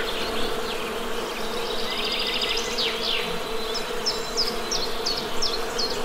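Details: The steady, low buzzing of honey bees fills the background. Birds add a trilled phrase and a run of repeated chirps.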